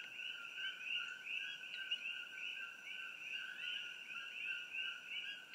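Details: Many introduced coqui frogs call at once in the trees along Old Mamalahoa Highway near Hilo, Hawai'i, sharp rising two-note 'co-qui' chirps blending into a continuous shrill ringing, with a faint high insect hiss above.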